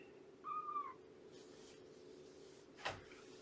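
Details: Shelby, a rescued female cat of about two years at Purrfect Pals, gives a single short, bent meow that holds level and then dips, followed by a brief click-like knock over a steady room hum during a morning visit.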